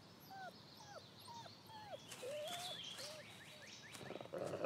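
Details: Wolf pups of the year pestering their grumpy father Lighthawk, one of seven: soft, faint whimpers that dip and rise, coming in quick short bursts, with a high chirp in the background.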